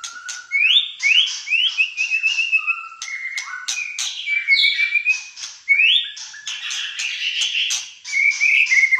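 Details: Malaysian white-rumped shama singing fighter-style: varied whistled phrases that step up and slide, mixed with sharp clicks and rapid buzzy bursts, delivered in a long energetic run.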